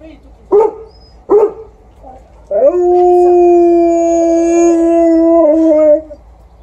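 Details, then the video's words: Golden Retriever barking outdoors with an Alaskan Malamute howling along: two sharp barks, then a long, steady, level howl lasting about three seconds that drops slightly at the end, over a low background rumble. "Outside barking by the Golden Retriever, with howling support by the Alaskan Malamute"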